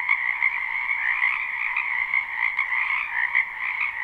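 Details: Many frogs calling together in a wetland during spring, captured live: a thick, unbroken croaking chorus, trilled and overlapping, holding an even level throughout with small swells.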